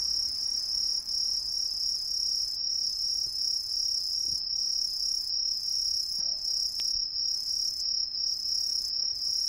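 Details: Chorus of green tree crickets, a non-native species, concealed in roadside trees of a residential area in Ehime, Japan, producing a continuous shrill, very high ringing trill; a few faint clicks and knocks underneath.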